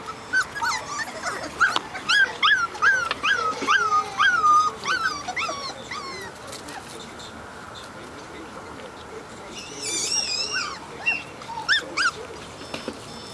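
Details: Four-week-old Portuguese Water Dog puppies from Grace and Tiago's litter, on their first time outside: a run of high, wavering whines and yips in quick succession, then a few scattered squeaks, with a person talking nearby.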